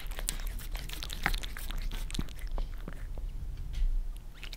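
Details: Pet cats Lissy (Maine Coon) and Fritz (British Shorthair) eagerly licking their favorite creamy treat from a glass table, Germany; loud close smacking clicks tumbling rapidly, several sharp wet snaps, constant low indoor hum.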